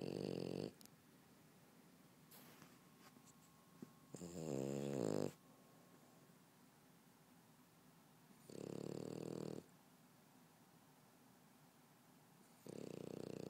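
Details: French Bulldog asleep on a couch, snoring in loud rough nasal bursts about a second long, returning roughly every four seconds with quiet gaps between; four snores heard, one with a rattling, fluttering texture.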